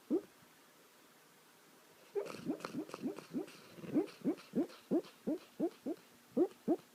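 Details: Sleeping dog giving funny noises: after two seconds of near silence, a run of brief rising yelps starts, at first blurred and breathy, then clearer, evenly spaced about three per second.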